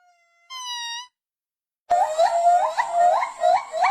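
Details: Monkey calls from a compilation of different monkeys. A short steady tonal note is followed after a pause by a series of loud, harmonic calls that rise in pitch, each repeated about every half second.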